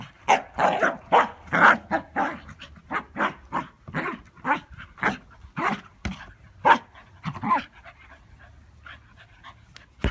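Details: Scottish Terrier at ball play; rapid, irregular breathy pants and gruff huffs about twice a second, fading to quieter breaths in the last seconds.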